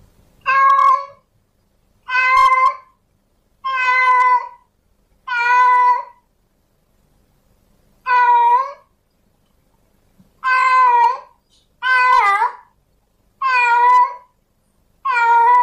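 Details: Male domestic cat in heat calling to a female: nine loud, nasal, drawn-out meows, each about a second long, repeated every one to two seconds in near silence, later ones wavering more.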